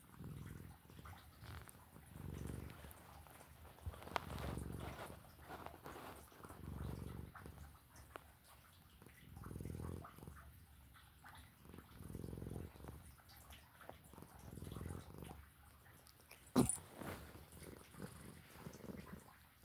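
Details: Cat snoring while asleep, soft low rasping breaths repeating about every two and a half seconds, quieter than a purr, with a brief sharp click near the end and light background hiss.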